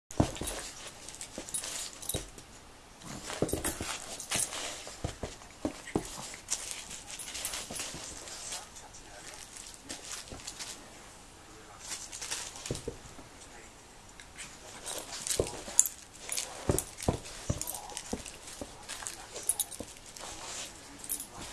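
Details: A female pug acting wildly with her toys: rapid broadband snorting and grunting bursts repeat throughout, mixed with rustling, scuffling and occasional brief human speech.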